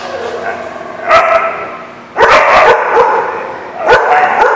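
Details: Dogs barking, recorded 30 July 2016: loud, sharp barks burst out around one second, then again at two and four seconds, over a dense, noisy background of continuous chatter and commotion.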